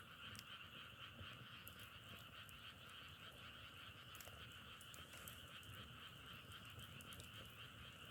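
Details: Massed frogs produce a constant pulsing trill, layered and unvarying, accompanied by crackling and popping of burning firewood.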